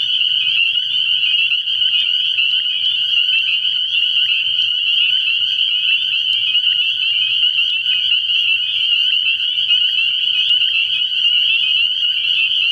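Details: A mass of spring peepers calling from a frog pond after dark, early in the year; a relentless shrill ring built from countless short peeps, with a few faint clicks standing out.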